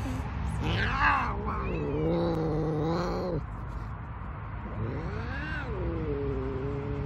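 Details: Big Savannah cats showing their attitude to kittens: two long, wavering, moaning yowls, each lasting two to three seconds and separated by a short pause, with a constant low hum underneath.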